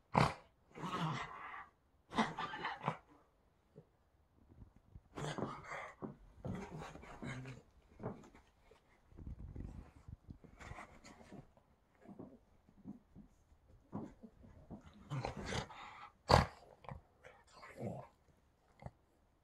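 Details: Indoors in Boston, a female rescue dog rolls on the bed just before bedtime and makes all kinds of playful sounds: irregular low grumbles, huffs and growly moans in short bursts separated by quiet gaps, with bedding rustles.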